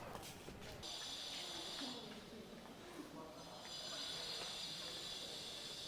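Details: Bats roosting up in the roof of an ancient temple in Cambodia give a dense, hissing wash of high squeaks, with a man talking underneath; a few are flying around.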